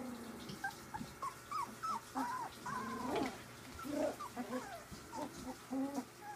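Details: Three-week-old puppies playing together, giving soft, short whimpers and squeaky yips in quick succession, with low grumbles underneath.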